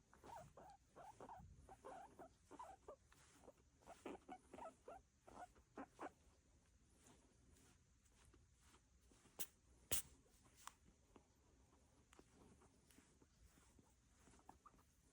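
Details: Pet guinea pig making a run of short, soft pulsed clucks, roughly two or three per second, over the first six seconds; then mostly quiet with scattered faint ticks and one sharp tap near the ten-second mark.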